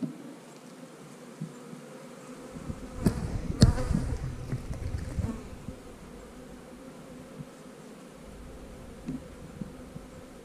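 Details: Honey bees at a hive during a colony check before splitting drone cells: a steady low buzzing hum, broken around the middle by a cluster of sharp knocks and rustles, then settling back to an even drone.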